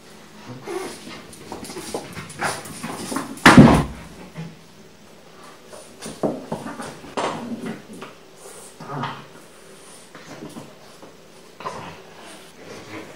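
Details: Pixel, a young French bulldog alone indoors in a small room, attacks a new toy; irregular short snorting and growling bursts with scuffling, one loud sharp burst near the middle, then quieter rustling play noises.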